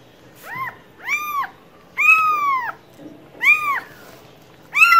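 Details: Cat calling with a run of arched meows, short and long mixed, some sliding down at the end, about one every second, over a faint rumbling background.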